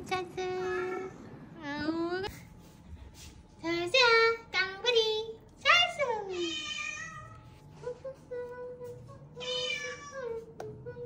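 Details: Rescued weak kittens, found huddled together and fading on the road home from a family funeral, mewing in a string of high, thin cries, some rising and some falling, with a person talking softly underneath.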